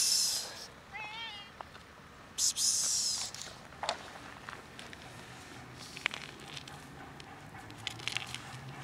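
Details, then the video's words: Stray cat asking for food in winter cold, one of three strays met on a routine walk; a single short wavering meow near the start, with loud hissing psst sounds from a person and scattered rustling. "Three stray cats meow for food and they hate Winter cold"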